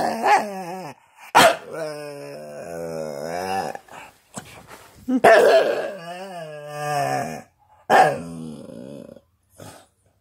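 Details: A Staffordshire bull terrier 'talks' in a string of drawn-out, warbling moans and grumbles, broken by short sharp yelps, with rising and falling pitch and brief silent gaps between phrases.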